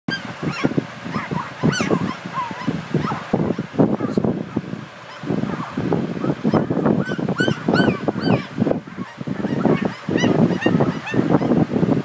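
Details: Border Collie puppies making all kinds of noise: a busy overlapping chorus of short squeaky yelps, squeals and whimpers, several callers at once, nearly continuous throughout.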